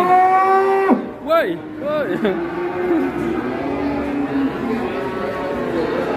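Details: Large cow at an Indonesian cattle sale on a morning: one long, steady, low moo for about a second, then several short calls that rise and fall, over a constant murmur of people.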